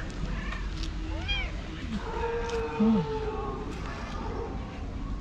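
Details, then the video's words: Hungry female white tabby stray cat meowing for a long time near people; two arched meows in the first seconds, then softer drawn-out mewing over steady low background rumble. "White Tabby Cat Meowing Loudly For A Long Time"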